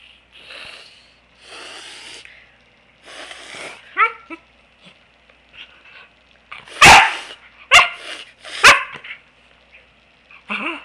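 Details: Niea, a Pembroke Welsh Corgi, playing with her owner on a couch and giving love nips: three loud, sharp barks about a second apart follow a few short whines, with a person talking to her in the first seconds.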